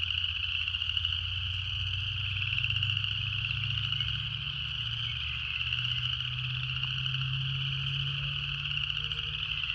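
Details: Cicadas keep up an even, high, rasping drone, with a loud low hum that swells and shifts underneath and a few soft low notes near the end.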